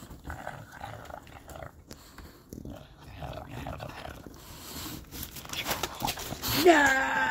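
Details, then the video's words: Teething baby bulldog fussing: soft broken growls and rustling, ending in a louder harmonic whining yelp near the close. "Baby Bulldog Throws Teething Tantrum!"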